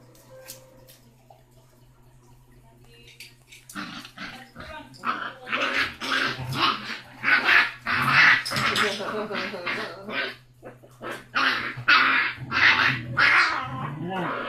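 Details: Six-week-old basset hound puppy, the loudest and smallest of a litter of five, tough and feisty; quiet start, then from about four seconds a run of loud, hoarse, rapid barks and yelps with a person speaking over them.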